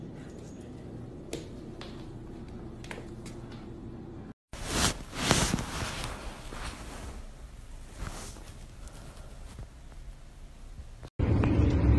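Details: Indoor footsteps, thumps and cupboard-like knocks with a brief stretch of speech, and no animal voice present.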